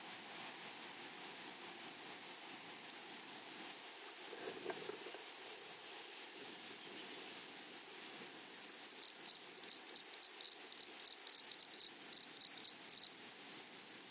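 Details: Meadow grasshoppers among flowers keep up fast, regular high-pitched chirping, while in the second half a second, harsher and brighter buzzing chirp joins in at intervals above the steady beat.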